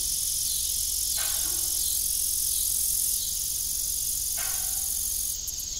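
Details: Evening cricket chorus on an abandoned family farm with an old windmill: a steady high trill, broken by two short lower creaking sounds about three seconds apart.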